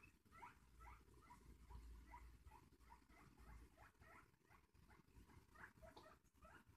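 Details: Excited guinea pig going nuts saying hello: a quick run of short rising squeaks, about two or three per second, each a bright harmonic chirp, over a steady low hum and rustling.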